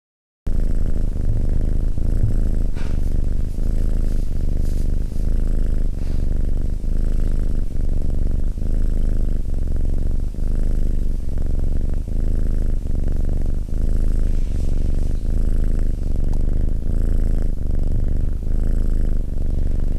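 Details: Domestic cat purring steadily after a brief silent start: a deep, low rumbling buzz that swells and eases with each breath, roughly every 0.7 seconds, continuing unbroken for twenty seconds with no other sounds.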